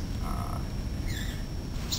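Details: Common coqui (Eleutherodactylus coqui) in a breeding colony of about seven or eight males in a campus greenhouse at UMass Boston gives a faint two-note call, a low note then a higher, rising chirp.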